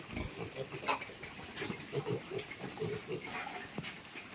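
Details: Piglets being moved into fattening pens give short low grunts in an irregular series, with some soft voices and background clatter.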